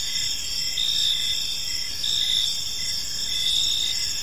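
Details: Gentle chirping of crickets in a park at evening: a shrill steady chorus with faint swells, and beaded chirps below it recurring close to once per second. There is no wind, traffic or voices.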